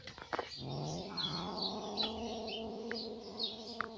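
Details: Ginger domestic cat after hunting a catfish from a fish pond gives a low, drawn-out moaning yowl lasting about three seconds, steady in pitch, while small birds chirp faintly and high in the background.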